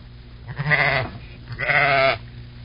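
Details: Two nasal, quavering sheep bleats about a second apart, each roughly half a second long, over steady low background noise.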